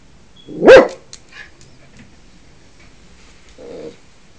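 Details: A Yorkshire Terrier puppy acting as the guardian of the house gives one sharp, high bark, then a softer, shorter bark a few seconds later.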